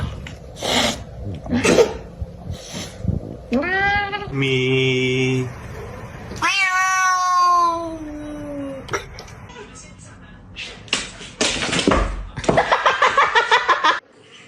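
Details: Domestic cats in a funny compilation give two drawn-out, wavering meows, the second sliding downward in pitch, mixed with snorts, laughter, a person's voice and clattering noises.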